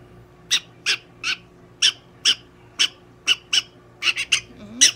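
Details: Donguri-chan, a pet prairie dog being treated at a Nagoya veterinary clinic, repeats bright, rasping chirps roughly every half second, speeding into a tight cluster near the end, over a faint hum and brief human voice.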